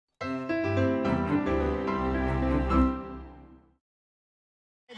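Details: A short burst of orchestral theme music with sustained rich chords lasting about three and a half seconds, then silence and the start of another sound, with no sheep calls.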